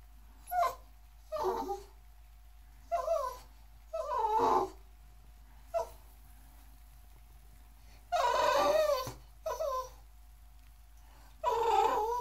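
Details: English Bulldog, Boxer and Pug mix puppy wanting into a running bathtub with its owner: repeated short whines and yelps in irregular bursts, some longer and louder, about eight across twelve seconds, indoors.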